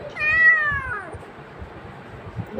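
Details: Pet cat coaxed to jump for food gives a single long, bright meow with stacked harmonics that bends downward near its end, then quiet indoor background and a faint voice.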